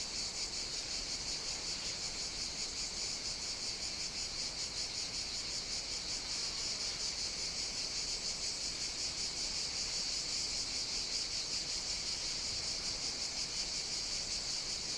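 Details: Cicadas singing on a hot summer day on the Greek island of Evia, Mediterranean: a dense, continuous high buzzing chorus with a steady, slightly pulsing shimmer, unbroken throughout, no other clear sounds.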